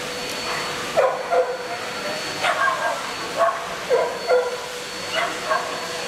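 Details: Welsh Springer Spaniels Fable, Holly and Arwen in the junior bitch class at a dog show in Murcia, 12 November 2016; short sharp barks come in pairs and clusters about every second or two over steady hall noise and a faint hum.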